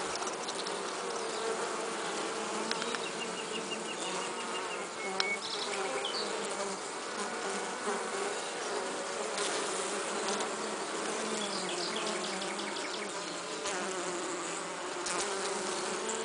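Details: A western honey bee carrying pollen gives a continuous wing buzz, its pitch wavering gently as it moves, with faint high chirps and ticks in the background.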